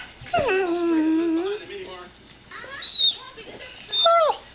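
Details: Pet dogs indoors in a messy room, one trained to say "mom": a long, wavering, high whine that slides down and levels off, followed by short rising and falling yelps, with a person speaking between.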